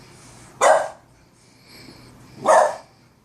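A Boston Terrier lets out two short, raspy barks, each a sudden broad burst lasting a fraction of a second. The barks come roughly two seconds apart over faint background hiss.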